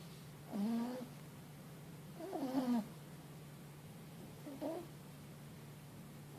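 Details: Mochi, a four-month-old Boston Terrier and French Bulldog cross puppy, snores loudly while asleep after a long day; three rasping, wavering snores about two seconds apart over a steady low indoor hum.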